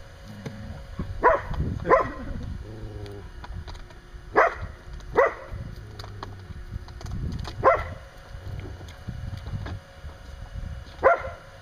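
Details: Standard Poodle Kasha, outside a pen near Mitsy's 6 week old pups, barks and growls while play-fighting Kairos; single sharp barks and pairs spaced a few seconds apart over low rumbling growl and background noise.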